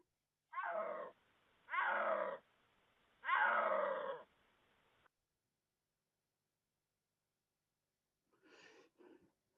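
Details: A snow leopard's mating call, heard during the narrow January-to-early-March mating season: three loud, rasping, cat-like wails, each about half a second to a second long.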